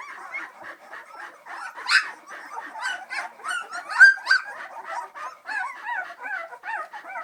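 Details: Litter of Samoyed puppies, three weeks old, moving about near St Louis, Missouri, producing a dense chorus of short wavering whines and squeaks, several bent, quavering cries near the middle louder than the rest.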